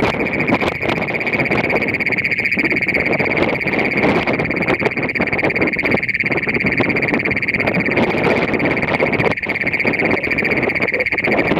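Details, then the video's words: Great Plains toad in Nazareth, Texas, giving a long, piercing, metallic trill that runs unbroken from start to finish. "Great Plains Toad in Nazareth, TX"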